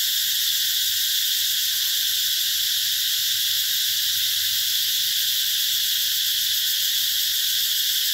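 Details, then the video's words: Cicadas in summer at an eco-tourism site in the Mekong Delta, Vietnam: a dense, unbroken high shrill hiss spread over a broad upper band, steady and loud throughout, with no other clear sounds. "tiếng ve gọi hè"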